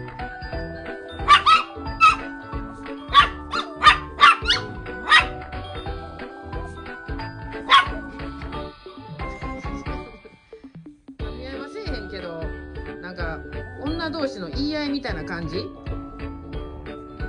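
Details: Toy poodle in a play fight with a female dog friend. Clusters of sharp, high barks sound over continuous background music, then a lull, with softer whines and music afterward.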